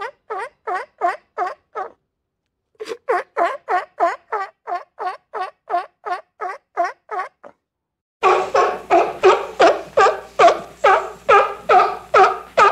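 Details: Sea lion on a beach giving rapid series of harsh, honking barks, roughly two to three per second, with a brief pause partway through, then a louder, rougher run of barks in the closing seconds.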